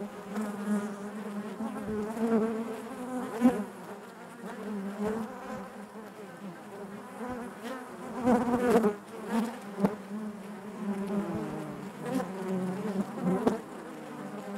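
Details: Honey bees buzzing inside their hive, a dense steady hum with a low drone and stacked harmonics, swelling and fading in waves with brief louder surges near the middle and end.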